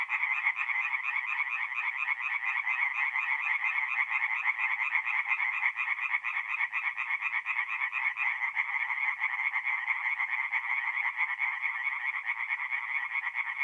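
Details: Many tree frogs calling together after dark at a forest pond in north-east Italy in mid-April, their rapid croaking merging into an unbroken, buzzy, even chorus.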